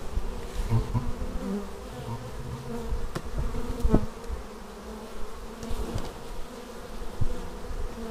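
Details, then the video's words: Swarm-like hum of bees returning to their beehive, Xiaomi Yi action camera recording; a deep steady drone with fluctuating buzz tones and a couple of brief close fly-bys. "Bees arriving at hive"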